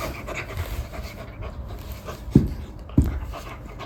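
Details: Gentle Golden Retriever that befriended a terrified rescue kitten, panting softly: low, breathy, steady huffs under a quiet background, broken near the end by two short dull thumps.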